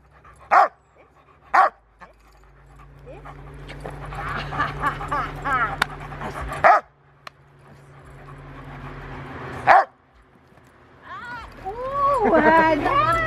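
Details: Gent, an 8-month-old male Rottweiler pup, at play on August 2, 2020, barks single loud deep woofs spaced one to three seconds apart, then a gap and two more, with soft whining and human talk near the end.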